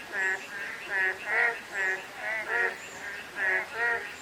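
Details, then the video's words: Frogs calling on a day of light drizzle: nasal, harmonic croaks pulsing about twice a second from several overlapping callers, over a steady hiss of fine rain, with faint high thin whistles in the background. "가랑비 내리는 날/개구리 소리"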